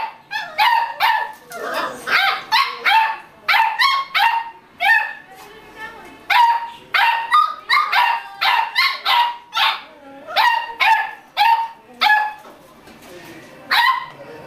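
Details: Beagle puppies at play give a steady run of shrill, high-pitched yaps, roughly two each second, barely stopping throughout.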